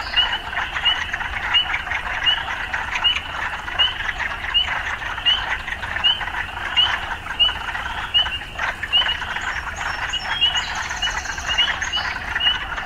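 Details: Urban frogs croak in a steady, dense chorus punctuated by rising chirps repeated roughly every one to two seconds, with brief high-pitched squeaks late on and a low background hum.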